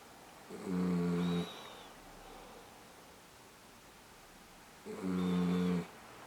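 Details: Female miniature dachshund asleep with eyes open gives two low buzzing snores about four seconds apart, each roughly a second long with a rich harmonic drone, between stretches of near silence indoors.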